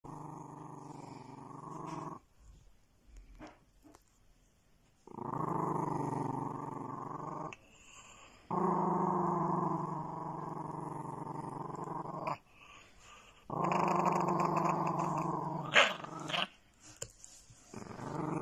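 A dog gives sustained, deep rumbling growls, each lasting a few seconds before a short break. The growls are rough and harmonically rich, with a few sharper catches near the end.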